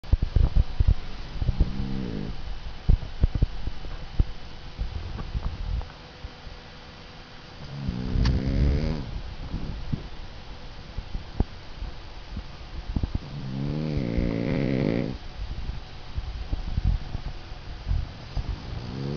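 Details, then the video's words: Boston Terrier snoring while asleep on an afternoon: low, rumbling, harmonic snores about a second and a half long near the start, middle and end, with softer breathing noise and a few faint clicks between. "The Snoring Dog"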